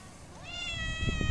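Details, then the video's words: A single street cat gives a short meow that rises and then holds steady, over a loud low rumble of background noise. "Kedi sesleri kedi miyavlaması"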